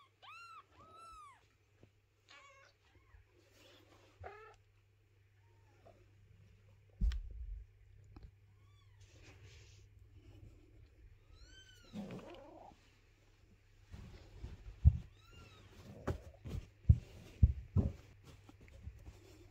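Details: Indoor mother cat carrying kittens, unwilling to let their house be cleaned; a pair of clear arched meows opens, more follow midway, then thumps and handling noises dominate the closing seconds.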